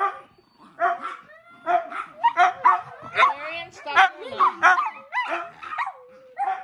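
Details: A group of domestic dogs at home interrupts a TV session with bursts of sharp yips separated by short gaps, plus drawn-out sliding whine notes; a human voice may be mixed in.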